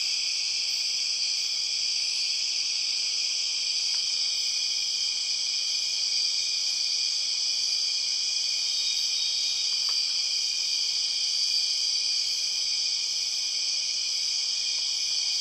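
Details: Empress cicadas, the 6 o'clock cicadas of Borneo rainforest: a sustained, very loud metallic hum of high stacked tones running unchanged for the whole stretch, with a couple of faint clicks and a light pulsing shimmer at the top.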